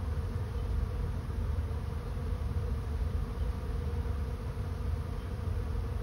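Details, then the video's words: Many honey bees of a swarm entering a swarm trap, making a constant, thick, low droning buzz that holds steady in pitch and volume with no pauses and no other sounds. "Bee swarm moving into trap"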